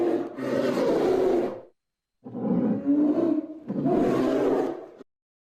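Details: Polar bear producing three drawn-out, rasping roars of about one and a half to two and a half seconds each, divided by short silences, with a harsh, rumbling growl throughout.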